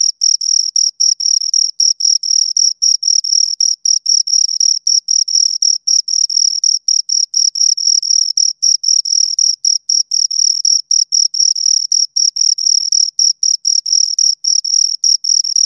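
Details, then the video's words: Two crickets give an unbroken run of high, ringing chirps, each burst a quick pulsed trill separated by brief pauses, steady in pitch and loudness throughout. "Two Crickets Chirp Sounds for Two Hours Right on Your Ears"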